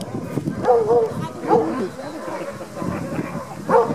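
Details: Alaskan huskies at a sled dog demo in Denali National Park, Alaska, eager to reach the sled harness; scattered barks and yelps come in short bursts amid a busy background of voices.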